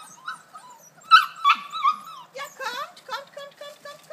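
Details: Kuvasz puppies about 5.75 weeks old on an outing to a large meadow enclosure, giving high whining whimpers and short squeaky yelps in quick succession.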